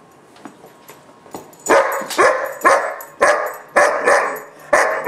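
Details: Gunner, a German Shepherd puppy of about 4-5 months, throwing a barking fit: after a quiet start, rapid loud barks roughly every half second, each with a falling tail.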